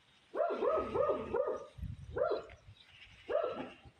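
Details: A tiny grey cat, described as a stray, lets out a quick run of four chirping mews, then single mews after short gaps, with low soft thumps in between.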